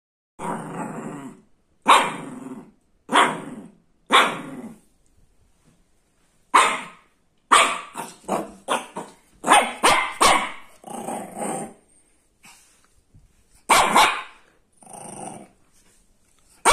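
A Shih Tzu puppy gives a run of sharp, high, yappy barks, some in quick doubles.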